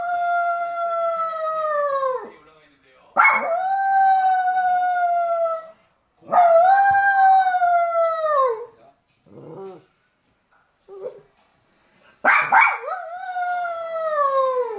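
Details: A puppy looking for its mother gives long, drawn-out tonal howls, each about two seconds, sliding slightly downward at the end. Three main cries are broken by short gaps and a few brief, quieter yips.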